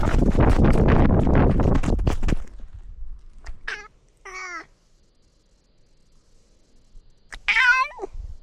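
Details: Domestic cat exploring a new catio while wearing a camera; after loud rustling noise, a brief meow, a longer wavering meow, then a strong rising-falling meow near the end.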